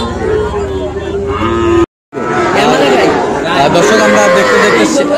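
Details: Sahiwal bull calves at Ambari cattle market in Tangail, Bangladesh, on Friday 25 August: a drawn-out low moo with clear harmonics in the first two seconds, then, after a brief cut, busy market chatter with overlapping bellows.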